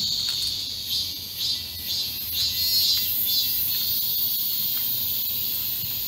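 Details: Midsummer cicada chorus recorded on 31 July 2022 in Yesu Hyanggi Garden during a heat wave. A shrill, sustained high-pitched drone swells and fades gently in waves about once a second.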